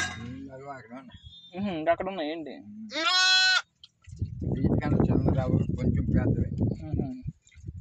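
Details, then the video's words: Newborn village lambs, one day old: a short wavering bleat, then a louder, sharper, high-pitched bleat, then a stretch of rustling, shuffling noise and voices. "Baby Sheeps real sounds"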